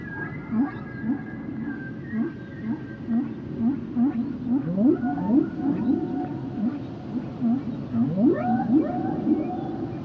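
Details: Song of humpback whales: dense, rhythmic series of short upswept grunts, roughly two per second, interwoven with sustained higher whistled tones and a few steep rising sweeps, all over soft underwater noise.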